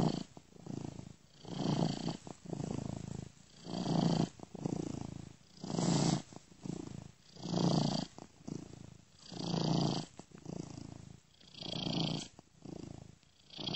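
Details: Domestic cat purring gently in a looped recording panned ear to ear; steady low rumble rising and falling in regular breath-like waves roughly every two seconds, with a faint hiss on each swell.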